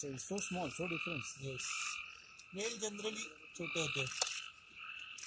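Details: Forest frogs of the Amboli hills in Sindhudurg: a quick run of short, nasal, stacked croaks opens, followed by a longer wavering call and another pulsed series, all over a continuous high two-pitched trill of the night chorus.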